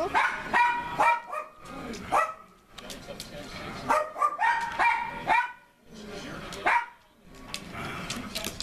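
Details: Pet dog playing, wrestling and tug-of-war with a man, giving deep, playful barks and growly yips in short bursts about every second, mixed with a woman's speech.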